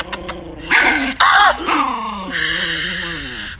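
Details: Angry Chihuahua growling and snarling indoors, with two sharp harsh barks around one second, then a long whining, wavering growl; a person speaks over it.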